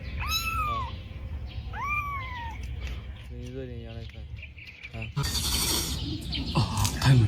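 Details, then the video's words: Stray domestic kitten meowing loudly at 6:30 in the morning, full of energy, waking its rescuer: two clear arching meows in the first seconds, then a low voiced harmonic sound and broadband clattering noise near the end. "Pukul 6.30 pagi, Liu terbangun karena suara mengeong keras anak kucing itu."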